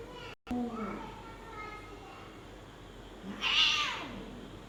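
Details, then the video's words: Persian cats in Gujranwala, Pakistan, mating, the female striking the male: a falling harmonic meow early on, then a louder, higher, wavering cry near the end. "extreme punch female mate peki male cat | Persian Cat"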